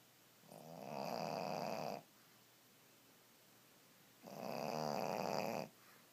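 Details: A Pekingese napping on a bed snores in two long, rasping breaths with a quiet pause between them.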